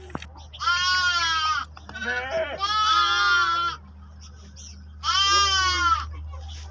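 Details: A lamb bleats in wavering, nasal cries of about a second each, with a steady low hum behind, as sheep and lambs meet and lambs drink milk amid bell sounds.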